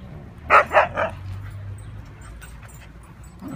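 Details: Playing huskies, from a pack named Mia, Nola, Bender, Fry and Max, give three quick, punchy barks in a row lasting about half a second altogether, followed by near silence with a low hum.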